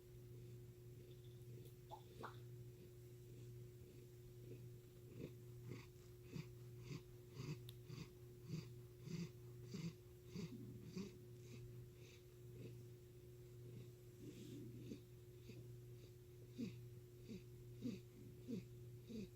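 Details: Chris the cat gives a wheezy, irregular purr that sounds like heavy breathing. Low pulsing breaths come about one and a half times per second, set against a constant mechanical hum in a quiet room.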